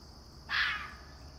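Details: Young red fox kit, one of a vixen's last litter, trying out his alarm calls early one morning next door: a single harsh, raspy scream lasting under half a second, over a steady high hum.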